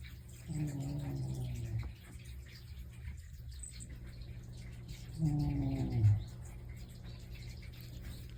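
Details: Pet house cat snoring indoors: two low, droning breaths with a buzzy, harmonic rasp. Each lasts about a second and a half, and they come roughly four seconds apart. A quiet room hum runs underneath.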